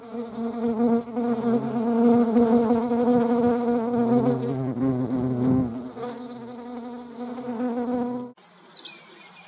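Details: European hornet buzzing alongside honeybees, a loud continuous hum with a lower droning layer surging around the middle, over higher bee humming; an abrupt cut near the end leaves quieter background.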